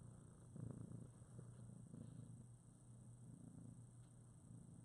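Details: Priscilla's litter of two-week-old foster kittens, eyes recently opened, snuggling against their mother: a soft continuous low purr with gentle pulsing swells and one stronger surge early on, indoors and quiet.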